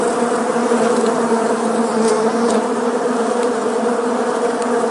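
A dense, steady hum of many honey bees flying together, their wingbeats merging into one drone.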